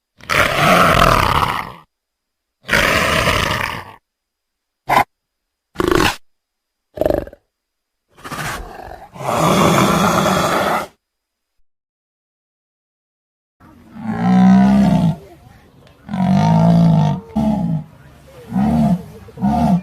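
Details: Tiger roaring in several short, harsh blasts with sudden cut-off gaps, then a quieter series of low, rounded grunting moans repeated roughly every second.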